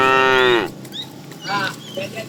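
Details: A fat cow among a herd of tame cows herded in the afternoon, calling the female: one short, strong moo falling slightly at its end, followed by faint chatter and rustling.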